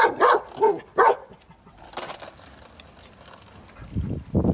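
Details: Pet Golden Retriever barking at skateboards: three quick barks opening, a single bark near two seconds, then quieter low rumbling sounds toward the end.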